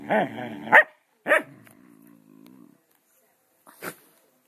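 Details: Playful Scottish terriers wrestling: a couple of sharp growly barks in quick succession, then a low rumbling growl that fades, followed by one short snort-like bark after a pause.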